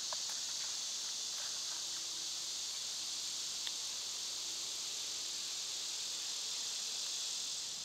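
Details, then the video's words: High, steady cicada drone in summer, a constant sizzling hum, with a couple of faint bird chirps early on and a single soft tap midway. "Cicada sounds"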